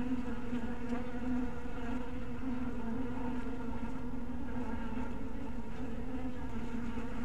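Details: Honey bees in a small bee house at twilight, giving a steady low droning hum with layered overtones that holds evenly throughout without pause.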